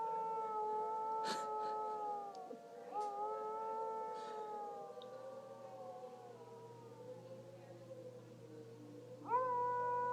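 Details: Dog howling with a tornado siren: sustained, gently wavering howls with several rising and falling bends over ten seconds. A steady siren tone surges in at the end.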